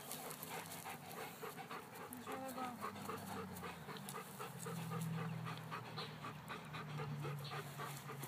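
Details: Two Weimaraners leaping and chasing balls at a park pant rapidly, about four breaths per second. Low human voices talk throughout.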